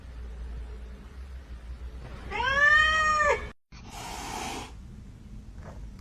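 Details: A kitten gives one drawn-out meow, rising then falling, lasting about a second, in a quiet indoor setting with faint background hum and a brief rustle afterwards.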